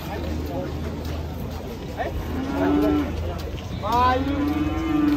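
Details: Very large cattle, nearly one ton each, calling. Two clear moos, the second louder and rising slightly before holding steady, over a constant low hum and light background noise.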